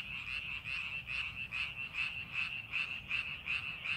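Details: Frog calls from rice fields under farming preparation, rasping pulsed croaks coming about every half second in a steady beat, several frogs blending into one throbbing chorus.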